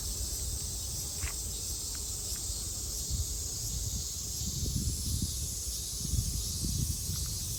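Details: Japanese cicadas in summer 2022 produce a level, continuous shrill buzz, while a few faint short chirps and irregular low rumbling sounds pass beneath.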